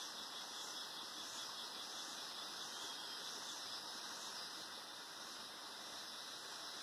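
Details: Atlantic Forest cicadas at Sítio das Mulatas in Araras, Petrópolis, Rio de Janeiro state, Brazil, massing into a continuous shrill hiss that pulses gently in waves, with no other clear sounds.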